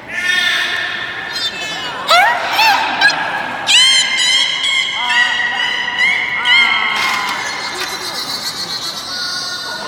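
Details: Beluga at a public training session, Port of Nagoya Public Aquarium, Japan, 24 March 2018, 16:30 show: a dense series of high, sweeping whistles and squeaky pulsed chirps, some rising and falling, overlapping almost continuously, with faint background crowd noise.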